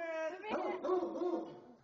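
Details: Great Dane named Moe, a pet dog indoors, vocalizing as visitors say goodbye: wavering, moaning harmonic tones rising and falling in pitch over two seconds, with people saying goodbye nearby.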